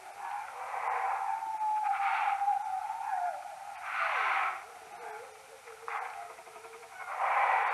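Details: Slowed tenfold beside a maternity roost, common noctules captured with an EchoMeter Touch 2 Pro give smooth descending sweeps, some stretched and wavering, broken by loud broadband bursts of rushing noise that swell and fade.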